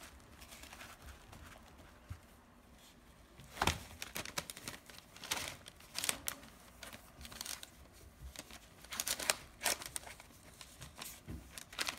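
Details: Crinkling, crunching and tearing noises in a small indoor room, with no animal voice.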